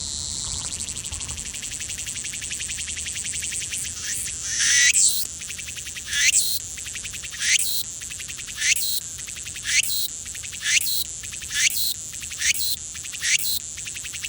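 A cicada gives a steady high-pitched buzz broken by louder pulsing surges roughly once a second.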